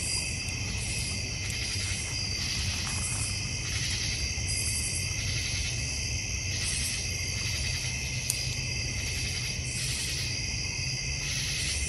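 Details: Crickets in a North Georgia Mountains backyard give a dense, steady high-pitched chorus of layered bands, with a faint pulsing roughly every second and a low constant rumble underneath.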